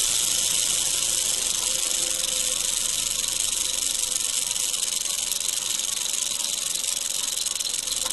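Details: Eastern diamondback rattlesnake found in Florida during field herping, rattling: a loud, continuous, hiss-like buzz that holds steady without a break.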